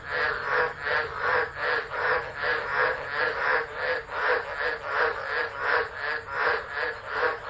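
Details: Many tropical frogs call together during a Tropical Low at Driver, Northern Territory, Australia, 13 December 2013, picked up by a phone left running. Dense rasping croaks beat in a regular pulse, more than one per second.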